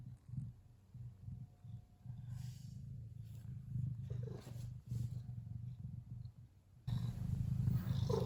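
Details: Contented, relaxed Ragdoll cat purring, a sign of pleasure, not anger or threat: continuous low rumbling purr pulsing several times a second, swelling with each breath and growing louder near the end, with soft rustling in between.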